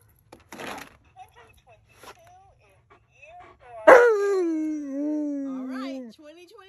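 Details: Alaskan Malamute named Tonka, asked to choose a button for a 2022 prediction, gives one loud drawn-out woo after a few faint clicks and rustles; the voice starts high, drops sharply, then holds a lower, slowly sinking tone for about two seconds.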